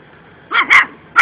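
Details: Puppy playing with a cat and trying to act tough, giving two quick high yipping barks close together, then a third sharp yap at the very end, with a quiet room behind.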